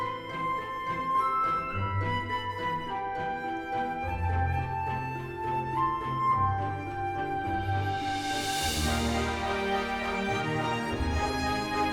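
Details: Orchestral music with flute and strings plays throughout, with no animal sound.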